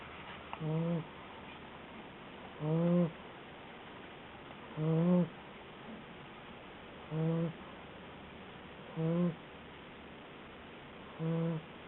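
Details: Asleep at 60 days old, Hotaru, a guide dog candidate puppy, gives six steady, low, grumbling snores roughly every two seconds, each short and buzzy, over a soft background hum.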